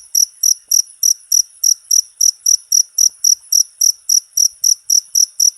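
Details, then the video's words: Short jangkrik recording made as a master sound for all cage birds: a cricket giving loud, even, high-pitched chirps roughly four per second, steady throughout with no other sounds. "MP3 JANGKRIK,COCOK UNTUK MASTERAN SEMUA BURUNG..!!!"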